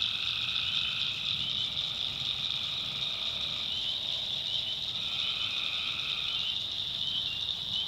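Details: Night swamp in the backwoods of North Carolina, where tree frogs send out drawn-out two-pitched trills, one after another, through a dense, unbroken high-pitched chorus of callers.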